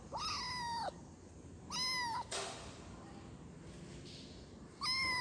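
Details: Kitten meowing to call its mother: three high, harmonic-rich meows, each under a second with a slight downward bend at the end, separated by pauses with a brief noisy rustle between the second and third.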